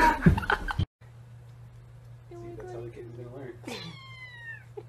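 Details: Domestic cat meowing indoors: a sharp noise burst at the start, then a low steady hum with a few soft, wavering mews, followed by one clear, drawn-out meow that slides downward near the end.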